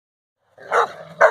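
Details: Central Asian Shepherd Dog (alabay) named Safar, born 31 October 2015, playing with four-month-old puppies; two short harsh barks, the second louder and sharper, after a moment of silence.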